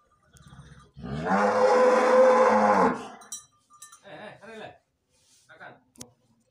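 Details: Limousin breeding cow, dam of super calves, in a cattle pen; one loud, drawn-out harmonic moo lasting about two seconds, followed by brief clinks and low human voices.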